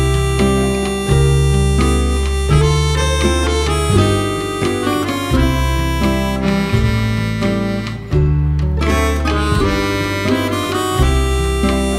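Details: Harmonica and guitar music with a steady bass line fills the whole stretch, with no animal sound.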